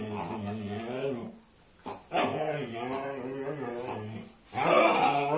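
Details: Female Siberian Husky attacking a pig, more vocal than usual: drawn-out wavering groans with strong harmonics in two long stretches, broken by brief pauses and a short rough burst at the end.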